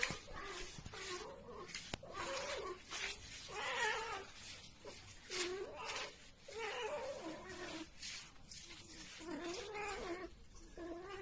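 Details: Cat from a funny cat compilation; a run of drawn-out, wavering yowls, each rising then falling, repeated about a dozen times with short breaks, over light background noise.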